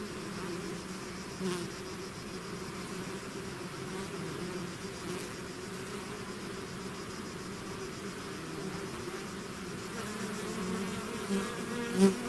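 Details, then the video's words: A swarm of bees out of its hive hums in a steady, low droning chorus, calm for most of the stretch before several nearby bees buzz loudly past the microphone at the end. "bees therapy swarm natural buzzing sound"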